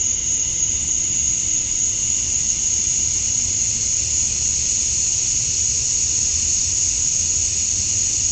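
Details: A constant shrill droning of male cicadas fills a summer dusk in Georgia, USA, as they call for females. The sound is flat and unvarying, with a faint low rumble in the background.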